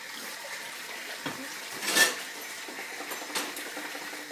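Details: Steady hiss with a few soft clatters and rustles, and no animal voice heard.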